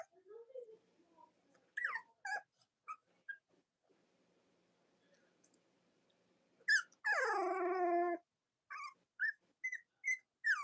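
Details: Morning live stream of Cavalier King Charles Spaniel puppies, the litters of Robin and Myra: scattered short squeaks, then one long, harmonically rich whining squeal lasting about a second, followed by several quick high yelps.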